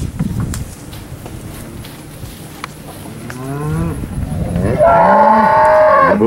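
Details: Steers at a cattle auction on 8 August 2013: low rumbling background noise at first, then a rising moo about halfway through. A louder, sustained bellow closes the recording.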